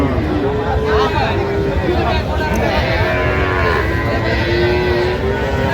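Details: Several faint, drawn-out cattle lows rise and fall beneath constant crowd chatter at the Aftabganj cow and calf market in Dinajpur, recorded 17 January 2026.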